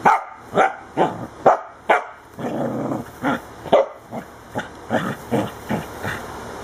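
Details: Dewey, a corgi, attacks the camera and tripod, barking in sharp, mid-pitched bursts, about two each second, with a brief rough growl between them.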